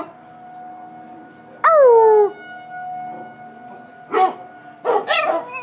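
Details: Pet dog reacting to tornado sirens in Coon Rapids, a steady siren tone sounding throughout; one loud falling howl-like cry, then a few short barks near the end.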